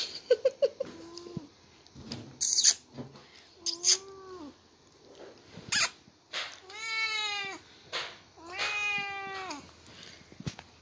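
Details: A white Persian cat gives several drawn-out, arching meows while playing with a newborn brother, amid soft rustles and clicks.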